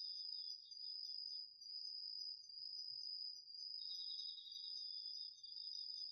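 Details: Autumn crickets and other insects singing at night in a home garden vegetable patch, recorded on a DR-40X: a steady high continuous trill overlaps a lower pulsed buzzing trill that drops out mid-clip, then returns, with no other sounds.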